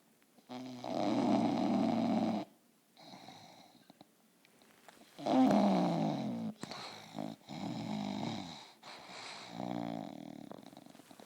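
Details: Bulldog Winnie snoring in uneven bursts: a long, loud rasping snore, then shorter broken snorts and wheezy breaths of varying strength.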